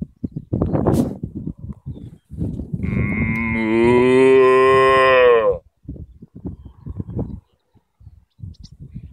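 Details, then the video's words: Cows in a field in Ireland: one long, drawn-out moo of about three seconds that swells and then bends downward, with short low rustling bursts before and after. "Talking with cows"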